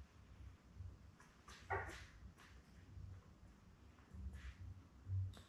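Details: Labrador Retriever puppies, seven newborns born May 24, 2021, kept indoors with mother Belle under a puppy cam; a single brief wavering whine rises out of low rumbling and scattered clicks of movement.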